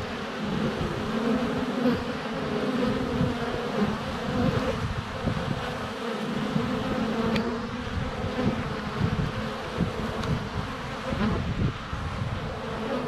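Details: Honey bees flying in and out at the hive entrance during sunny February weather, recorded at close range with a GoPro Hero 7 Black. Unbroken low humming of wingbeats, with occasional soft taps and clicks against the camera.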